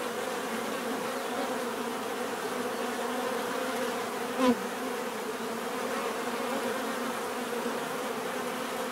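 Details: Bees buzzing naturally in a steady, dense drone, a low hum with layered tones and no pauses; around the middle a short, louder burst stands out, as if one bee passes close by.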